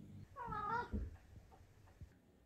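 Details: Maine Coon cat talking indoors with its owner, one of several chatty Maine Coons: a single drawn-out harmonic meow rising then falling over about half a second, with a soft thump and low room noise after.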